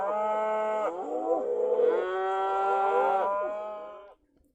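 A cow lows in a long, resonant moo that shifts in pitch and tails off.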